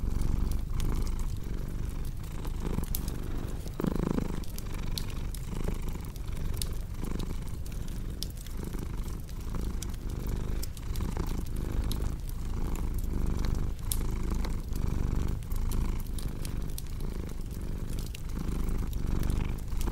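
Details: Relaxing blend of a purring cat and crackling fireplace for deep sleep: a steady low rumbling purr pulsing with regular breaths about once a second, accompanied by scattered snaps and pops from the fire.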